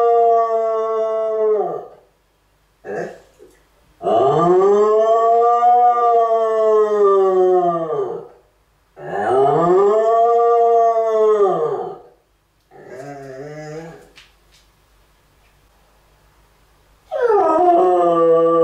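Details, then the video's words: Cardigan Welsh Corgi howling like a siren: long, smoothly arching wails rich in harmonics, rising then falling, in several drawn-out bouts separated by short pauses, with a wavering lower-pitched stretch near the end. "Welsh corgi cardigan howling like a siren"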